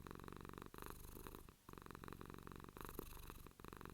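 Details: Pet cat purring close to the microphone, a low pulsing rumble with regular short pauses for breath about every second.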